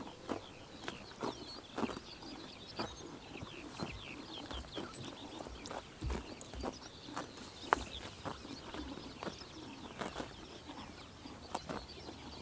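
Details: Steady, scattered chomps and snaps as horses graze on a summer morning in Tuv province, Mongolia; light bird chirps run throughout.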